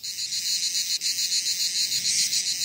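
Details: Cicadas in Provence, southern France, on a summer holiday morning give a deafening, continuous, buzzing drone with a high, hissing edge and a steady pulsing throb, likened to a landing helicopter.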